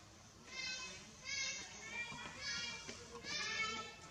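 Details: Cambodian forest monkeys: mother Blacky fights Tazanar to get her baby back while Bevin screams. Shrill, harmonic screams come in four bursts of rising and falling pitch, each lasting about half a second, over a low background rumble.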